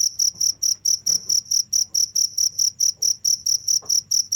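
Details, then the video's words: Cricket chirping without stopping: sharp, high, even pulses repeated about two or three times per second, each chirp bright with a fainter higher overtone, steady and loud, with a faint low hum beneath. "the sound of crickets"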